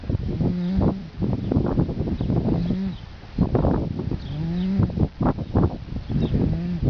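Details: Little colt snoring in his sleep, unbothered by nearby dogs: repeated low nasal tones that rise slightly, spaced a couple of seconds apart amid rasping, breathy noise.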